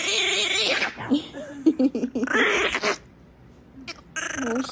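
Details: A tiny, 3-lb wet Brussels Griffon protests at being dried with Chewbacca-like grumbling, wavering, moaning growls.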